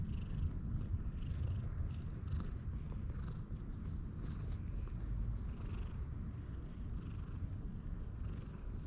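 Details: White cat on a bridge, friendly with a passer-by who wants to cross, purring continuously: a deep even rumble that runs the whole time with no pauses, with faint rustling above.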